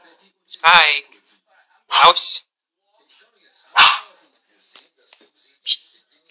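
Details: Chihuahua barking while watching TV: three sharp, harsh, high barks spaced about one and a half seconds apart, then a few softer yaps and clicks.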